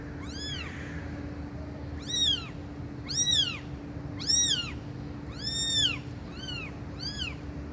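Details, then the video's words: Shrill, high arched mews from cats meowing loudly, seven calls about a second apart, some louder than others, over a constant low hum and hiss. "Cats Meowing Loudly"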